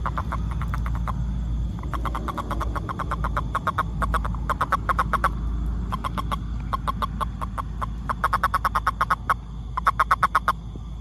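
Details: Toad calling in short trains of rapid, clicking pulses, each burst lasting about one to one and a half seconds and repeated after brief pauses, over a steady low rumble.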